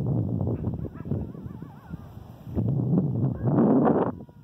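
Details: A coyote (Canis latrans) gives wavering, quavering howls over a loud, rumbling background, recorded on 11 August 2018.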